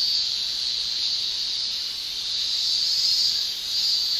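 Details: Summer chorus of male Japanese cicadas, their tymbal song forming an unbroken shrill, high-pitched buzz that swells gently in volume, with nothing else audible.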